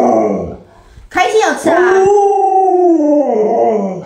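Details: Luoluo, an Alaskan Malamute, howls at its sick owner who cannot get out of bed. A short wavering sound comes first, then a noisy burst, then a sustained, slightly falling howl of about one and a half seconds that fades out unevenly.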